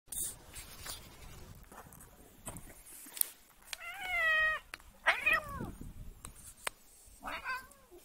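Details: Domestic cat being annoyed, giving a drawn-out wavering meow of about a second, then a sharper falling cry and a short later mew, with scattered clicks and handling noise between.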